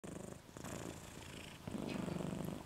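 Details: Pet dog asleep with its tongue out, snoring in low, rough pulses that grow steadier and louder in the second half, each breath a rhythmic rumble; faint indoor background hiss.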